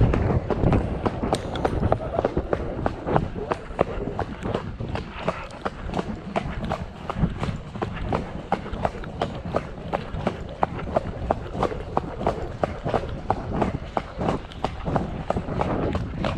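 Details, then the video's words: Hoof strikes from Shire horse De Goot Damon (Ostsee Shires), out on 2 May to fetch a new boarder from Falkendorf, rain earlier in the day. Sharp, evenly spaced clops about one and a half per second continue throughout over low rumbling background noise. "Shire Horse Abholservice"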